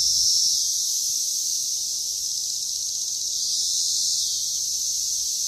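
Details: Dense chorus of Brood XIII 17-year periodical cicadas, mostly Magicicada cassini with a few M. septendecim, mating and laying eggs on a green ash in Wheaton, Illinois, May 31, 2024; a steady high-pitched hiss swelling and fading slightly.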